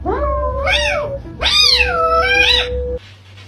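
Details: Domestic cat in a funny compilation of eating sounds, giving two drawn-out meows: the first rises and falls in pitch, the second is louder and longer, swooping up then easing down, with a steady low hum underneath.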